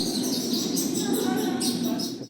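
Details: Bats give high, thin squeaks in quick repeated bursts over a steady low room hum, part of a museum biodiversity exhibit depicting a cave in the El Abra Tanchipa reserve, San Luis Potosí, Mexico; finding: bat.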